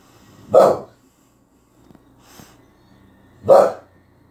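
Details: A dog gives two short, sharp barks about three seconds apart, each a loud broadband burst. Faint soft breathy sounds fall between them against a quiet background.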